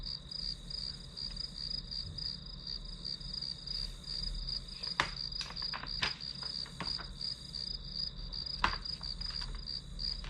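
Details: Grass insects trill continuously at a high pitch while several sharp taps and clicks, like pen or desk sounds, break in around the middle and near the end.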